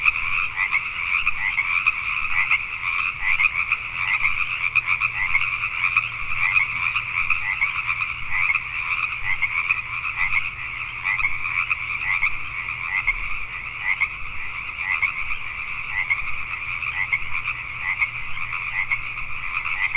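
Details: Many Pacific tree frogs croaking together after dark in Richmond, British Columbia, Canada, a steady, dense chorus of raspy overlapping calls with no silent gaps.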